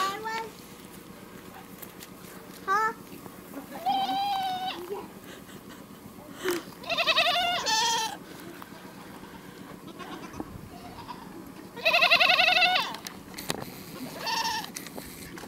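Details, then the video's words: Several goat bleats in bursts, some steady and nasal, others quavering and stacked with bright harmonics, the loudest near twelve seconds, separated by quiet stretches of low background hum. "Goats make the strangest sounds!"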